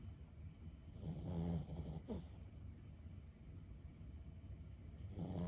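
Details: Sleeping Boston Terrier Lulu, a senior dog aged 15, gives one deep rasping snore lasting about half a second, then near silence broken by a faint squeak, before another snore begins at the end.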